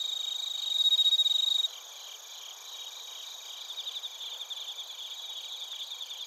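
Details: Bell crickets and field crickets in Narita, Chiba, Japan, recorded with a TASCAM Portacapture X8. A clear, loud ringing trill opens and cuts off after under two seconds. Steady high chirping pulses follow over a constant insect drone.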